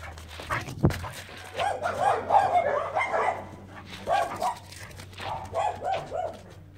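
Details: Great Dane running happily in a forest, giving a series of mid-pitched barks and yips in irregular bursts, with footsteps and rustling, and a person speaking Spanish nearby.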